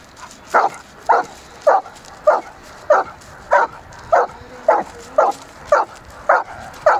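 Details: Irish Setter playing in a river in winter, barking steadily: about a dozen sharp, mid-pitched barks spaced roughly every half second, evenly paced, with faint background noise.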